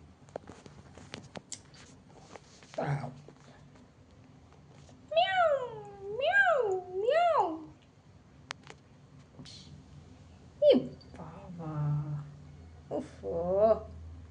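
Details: Domestic cat indoors giving three drawn-out meows that rise and fall in pitch, followed by a few shorter, fainter mews, while a woman talks to it in Bengali.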